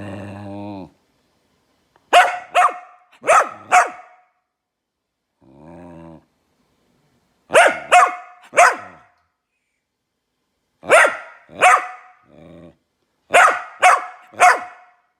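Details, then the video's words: Talkative male Goldendoodle puppy growling and barking to get attention at home: low buzzy growls alternate with bursts of two or three sharp loud barks, four bursts in all, with brief growls between them. "Goldendoodle Makes Funny Noises to Get Attention"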